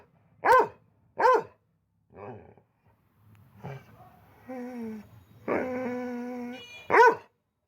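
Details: Pet dog barking: two quick sharp barks, then a stretch of human talking in Bengali, then one more loud bark at the end.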